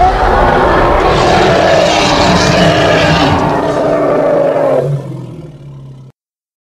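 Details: A hippopotamus from Congo bellows in one long, loud, harsh roar lasting nearly five seconds, broad and hissing with a steady mid-pitched tone running through it. It then drops into a low rumbling tail before cutting off.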